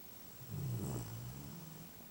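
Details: Momo, a pet dog, snoring at home on a lazy Sunday: one low, rumbling snore swells midway and then eases into softer breathing, with a quiet room behind it.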